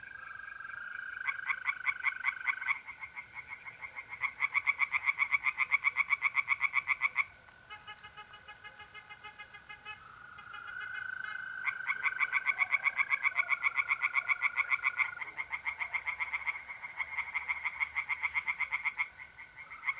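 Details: Tree frogs calling from a pond at night in April, north-east Italy, several bouts of fast, rhythmic croaking, some overlapping callers, set against the constant high trill of mole crickets.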